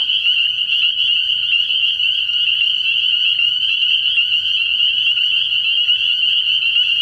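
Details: Dense night chorus of many spring peepers at a frog pond early in the year: countless high, piercing peeps merge into a steady shrill ringing wall of sound, with faint low rumble underneath.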